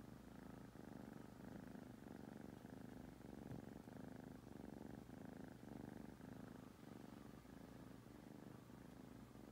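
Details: Rescued foster kittens asleep in Huntsville, Alabama give a rhythmic purr, the rumble pulsing with each breath roughly every second, a faint hum layered underneath.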